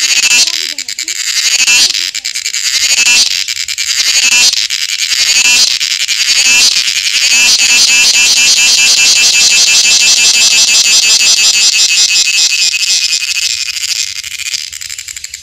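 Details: A cicada in Wayanad, Kerala gives a loud, high, shrill buzzing call that pulses rapidly, then settles into a steady drone.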